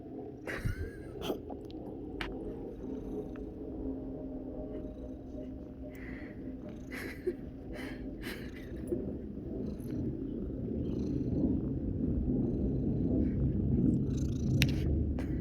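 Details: Kiki, a pet cat with hiccups, as an airplane passes overhead and sets off a big hiccup: sharp, brief clicking hiccups scattered through the recording over a low, steady engine rumble that swells louder toward the end.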